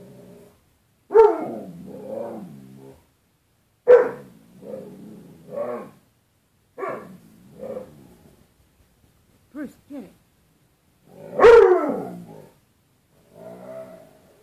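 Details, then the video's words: Indoors on 4 April 2013, Bruce Wayne the dog argues with his mirrored "other dog" in a closet door: a run of barks mixed with throaty, talking-like grumbles and yowls, roughly every one to two seconds. "Bruce Wayne discussion with other dog"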